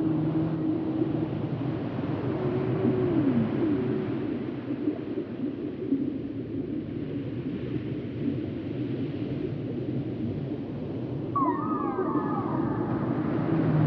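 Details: Whale sounds for relaxation: a faint falling moan early on, then near the end a brighter cluster of higher rising and falling whistled tones, set against continuous heavy low rumbling.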